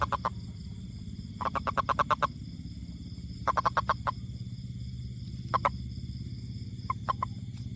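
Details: Toad giving bursts of rapid, evenly spaced short notes, up to about eight per burst, separated by pauses of a second or more, with single notes near the end and a constant low hum beneath.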